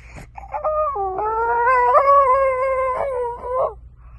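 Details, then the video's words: French Bulldog puppy giving a sustained howling whine of about three seconds, steady then wavering, with a brief yip at the start and a soft low hum underneath. "Funny and cute french bulldog puppies"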